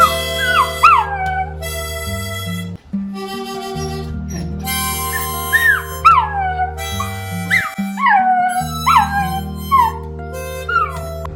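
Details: A young toy poodle puppy in Kerala, only starting to get teeth, howls along to its owner's harmonica tune with high, whining wails that slide up and down.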